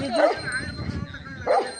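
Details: Rottweiler fighting a cobra, which bit the dog on the mouth; two sharp barks, one at the start and one near the end, with excited human voices in the background.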